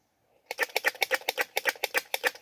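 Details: Rapid staccato chattering from a squirrel looking for a mate: about a dozen sharp, rattling chucks in under two seconds, steady in tempo, following a brief silence.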